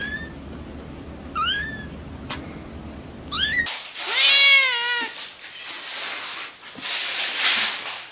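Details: Cat meowing in short rising calls, then a louder, longer descending meow after an abrupt cut, followed by rustling and muffled handling noise.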